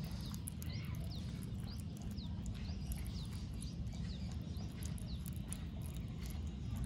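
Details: Baby otter eating three catfish, nearly half a kilo, until all gone; short arched squeaks repeat about every half second over a steady low rumble, with sharp crunching clicks of chewing throughout.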